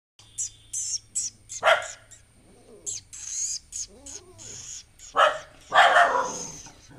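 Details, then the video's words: A pet dog barks at a new stray puppy brought home, disliking him at first; loud broadband barks come in bursts around the second and sixth seconds, with softer whines and whimpers between them. "Dog keep on barking at the new puppy, a stray dog"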